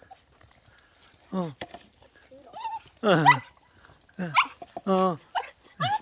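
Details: Puppy reunited with its family one month after being given away, weaned and earlier raised two months in an apartment, excited: repeated high whines and yelps, some sliding downward, among people's happy voices.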